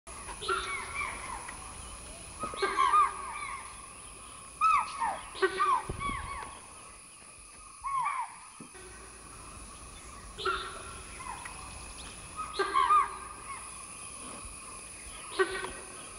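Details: Deer at Bandipur give sharp, harmonic alarm calls that drop in pitch, repeated every few seconds after spotting a female leopard up in a tree.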